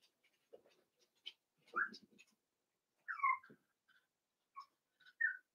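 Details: Cavalier King Charles Spaniel puppies, Daisy's six merged with Robin's two for play during their last days with their breeders, giving soft scattered whimpers: a few short rising-falling whines with quiet rustling in between.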